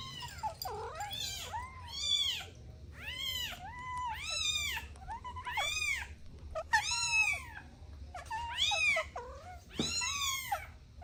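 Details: Domestic kittens playing with their mother and two siblings: a run of about nine bright, high-pitched meows, each swooping up and down, repeated steadily about once a second in a small room.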